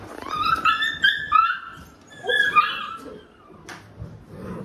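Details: Labrador Retriever household with a mother dog disciplining her unruly puppies indoors: high, tonal whining yelps that slide and waver, in two bursts of about a second each, then a short sharp click and quieter whimpers.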